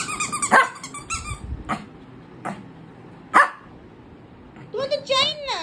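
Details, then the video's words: Shih Tzu puppy at play with a toy, giving two sharp, loud barks a few seconds apart, with a woman talking and a wavering whine-like sound near the end. "ShihTzu puppy playing with toy 🧸 || Dog playing || small dog 🐶"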